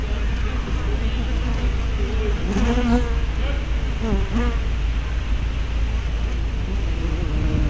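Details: Buzzing honey bees crowding a hive entrance, 24 May 2012, caught on a fisheye-lens spy camera: dense continuous drone with several bees zooming by, their buzz bending up then down in pitch.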